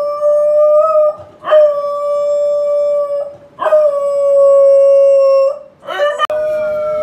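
A corgi gives long, steady, wolf-like howls, each held for a couple of seconds before breaking.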